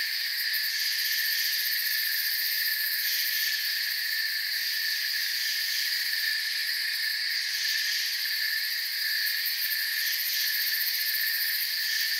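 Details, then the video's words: Crickets in a forest give a dense, continuous chorus of high shrill trilling in stacked steady bands, with faint rapid pulsing at the very top. The hum stays even throughout, with no other clear sounds. "Forest Sounds and Crickets"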